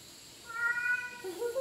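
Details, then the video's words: Male house cat answering its owner indoors with a level, tonal meow followed by a short rising chirp-like second meow, amid quiet room noise. "TALKING CAT"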